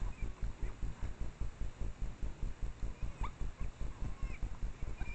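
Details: Japanese wild boar sow suckling one of her three piglets while foraging on a mountain trail in Japanese red-cedar forest in Japan at dusk, recorded by trailcam: steady deep rhythmic grunts about two or three per second, with short high piglet squeaks over them.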